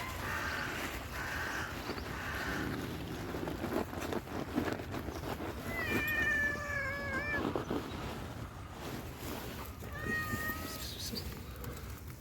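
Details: Hungry stray tuxedo cat lets out a long, wavering meow midway and a shorter one near the end, over steady outdoor noise with muffled human voices early on.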